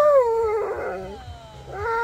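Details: Husky Sherpa, overexcited by a surprise visitor, gives a sliding whine that falls and flattens, breaks briefly into a rough muffled sound, then resumes with another rising-falling whine at the end.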